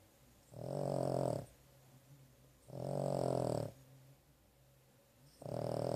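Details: Sleeping dog snoring indoors following a visit to the vet, three long rumbling snore breaths roughly every two seconds, each close to a second long, with low droning breathing between.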